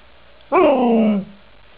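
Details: Snow dog 'talking': a single drawn-out vocal lasting under a second, rising briefly at the start and then gliding steadily down in pitch, rich in harmonics, with a quiet background.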